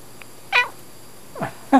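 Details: Domestic cat answering in its sleep: three brief meows, the first bright and high, the second a sliding lower mew, the third a short clipped chirp, in a quiet indoor room.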